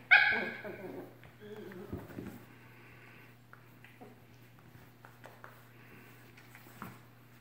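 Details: Cocker Spaniels fighting: a sharp, high yelp opens, followed by growly snarling sounds and scattered yips and whimpers, fading to quieter scuffling, with a steady low electrical hum throughout.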